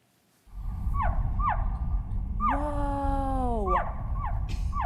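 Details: Slowed-down slow-motion recording of a Mexican free-tailed bat flying in a wind tunnel, making its ultrasonic echolocation audible as it flaps its wings: quick downward-sweeping chirps over a steady low roar of wind.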